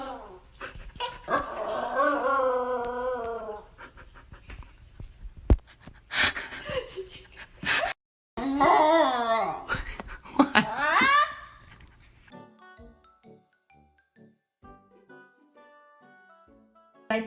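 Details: A female Pembroke Welsh Corgi in Phoenix, Arizona howls while eating, a habit since about 4 months old. She gives a long, quavering 'awoo' that wobbles up and down, then more warbling howls, with a woman talking between and faint music at the end.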